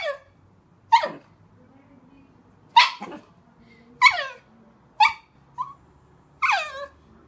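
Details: Chihuahuas barking in a mix of angry, happy and crying moods; sharp high yaps that slide downward in pitch, six spaced barks with quiet gaps between them.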